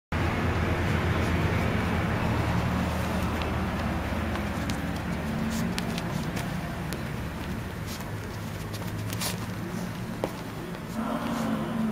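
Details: Constant roar of road traffic outdoors in an urban setting, with faint voices near the end and no animal sound.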